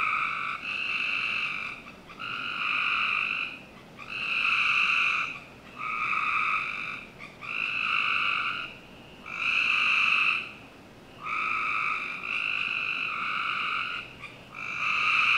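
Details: Frogs calling on a summer night in a Northern Virginia home's backyard: harsh, buzzy trills about a second long, repeated in a steady series with short pauses between, the calls of several frogs overlapping at times.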